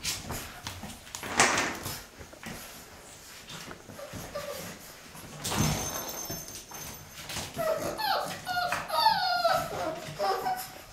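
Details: Six-week-old Boxer puppies from a litter at play indoors. Scuffling and pattering give way to a run of high, wavering whines and squeaky yelps in the last few seconds, with a brief rustle midway.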